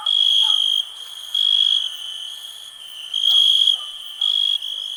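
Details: Ringing cricket trills in a 2021 peaceful nature recording, loud bursts alternating with quieter stretches of continuous high hum, and faint low chirps from other callers in between.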